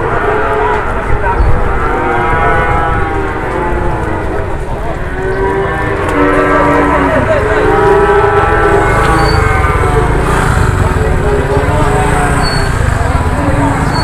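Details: Cattle in Indonesia, raging right after being unloaded from a truck, give loud, drawn-out harmonic moos and bellows over a constant rumble of engine or crowd noise.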